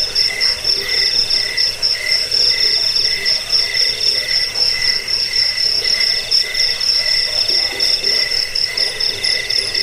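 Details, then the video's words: Crickets (jangkrik) in a recording meant to drive away rats, lull listeners to sleep and tutor songbirds. Dense, overlapping high pulsed trills run steadily throughout, with a fainter lower trill band beneath and no other sounds. "Suara jangkik pengusir tikus pengantar tidur"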